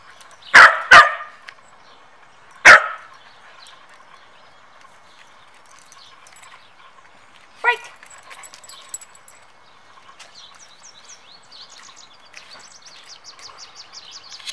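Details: Samoyed dogs Zuko and Mozart at training time, Zuko bothering Mozart: three sharp, loud barks within the first three seconds, then a single higher yelp near eight seconds, with faint bird chirping in the background afterward.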